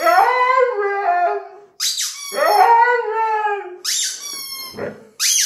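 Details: Siberian Husky singing with a toy rubber chicken: two drawn-out, wavering howls, each answered by loud squeaky honks from the toy, ending in a short whine and a final squeak.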